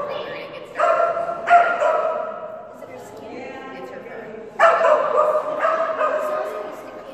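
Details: Phenix, a female Kerry Blue Terrier at agility class, gives loud, ringing barks around one and 1.5 seconds and again near 4.6 and 6 seconds, with an echoing indoor tail and human talk in between.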